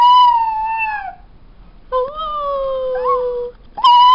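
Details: Black and tan female New Guinea singing dog kept at home, howling indoors: long tonal, slightly falling howls with rich overtones, a short gap, then a two-pitched wavering howl and the start of another.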